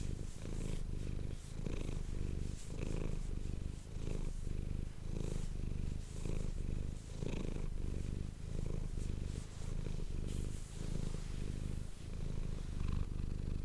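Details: Close indoor ASMR recording of Manis the domestic cat purring. A deep rumbling purr rises and falls in breath cycles about every 1.2 seconds, steady throughout with only faint background rustle.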